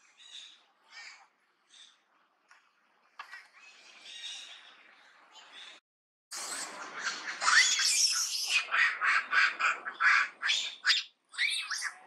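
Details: Duchess, a monkey in Cambodia's Angkor Archaeological Area near Siem Reap, shouts on seeing an enemy approach. Scattered soft calls come first. Then a loud burst of harsh, raspy screeches follows, rapidly repeated and crowding together for the final six seconds.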